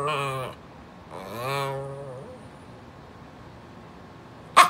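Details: Pumpkin, a female Brussels Griffon, vocalizes to ask her owner to scoot over: two drawn-out, wavering whine-grumbles about half a second each, the second bending upward and trailing off, then quiet and a sharp click at the end.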